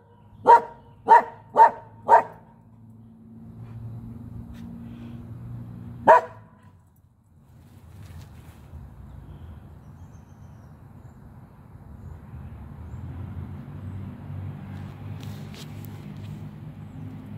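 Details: Norwegian Elkhound outdoors barking: four sharp, loud barks in quick succession, a pause, then one more bark, followed by low rumbling background noise and a woman speaking to the dog.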